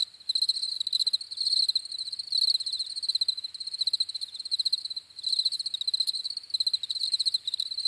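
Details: Crickets chirping in steady pulsed bursts, a high narrow tone with a fainter upper band, short trills following each other rapidly with brief dips between, no other sounds.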